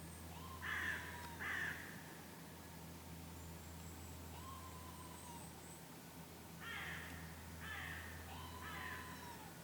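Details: Red squirrel reacting after a goshawk attack it escaped, on a lakeside at Kallavesi near Kuopio, Finland, August 2015. Two sharp raspy bursts open, then a long quiet gap, then three rougher grating bursts in quick succession.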